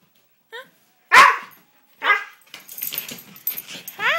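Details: Pet dog fussing at home while its owner coaxes it to 'say' things before going outside: a brief yelp, a loud bark-like burst, then wavering, whiny, talk-like harmonic moans, with a person speaking between them.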